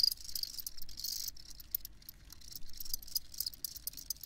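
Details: Field crickets give high, rapid chirping trills in uneven bursts, broken by brief gaps, over a soft low hum.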